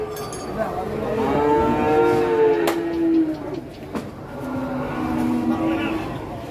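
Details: Big cattle being unloaded from a truck for immediate sale: several deep moos, one held steady then dropping, then a quieter low bellow later, with sharp clanks and a man's voice.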